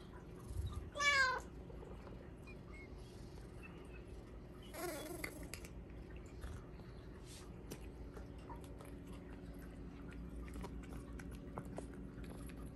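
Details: Indoor Bengal cat Hua begging for Japanese cod stick treats at supper time, giving one short bright meow early on, a fainter second meow later, then quiet room noise with light clicks.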